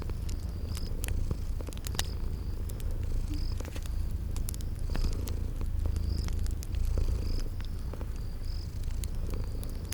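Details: Sleeping cats give a strong, steady purr, a deep rumbling drone that pulses softly with each breath, accompanied by crackling fireplace pops and a recurring high chirp in a spring garden ambience.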